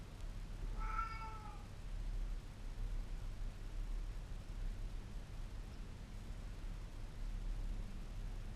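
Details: Domestic cat meowing indoors as a real-life alarm clock, one clear harmonic meow of about a second, slightly falling, then quiet room hum with no further calls.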